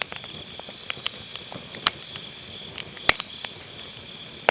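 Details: Grass insects on an autumn night, recorded with an MKE600 microphone using low cut: a steady, high, continuous trill runs throughout, overlaid by sharp, irregular crackles and pops from a burning campfire.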